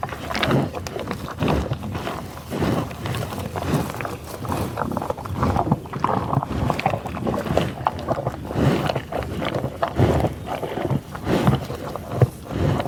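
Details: Bison in tall grass on the prairie near Pawhuska, Oklahoma, USA, in a field recording: loud breathy sniffs and snorts, short low grunts in bursts every second or so, with rustling close by.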